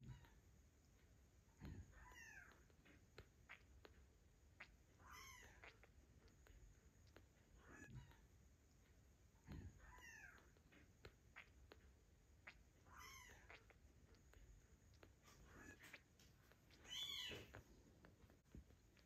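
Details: Tiny redheaded kitten, 130 grams and bottle-fed because his mother Ginger's milk is not enough, utters thin rising-falling mews spaced several seconds apart, with soft handling noises between them.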